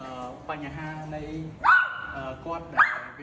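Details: Female dog in serious pain after rescue, crying out: a sharp rising yelp then a long strained high wail, followed by another rising yelp, while a man talks in Khmer underneath.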